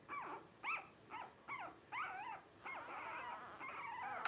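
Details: Blenheim Cavalier King Charles Spaniel puppy, one of five littermates aged 12 days, squeals in quick succession. The thin calls rise and fall, with a few run together into longer wavering cries.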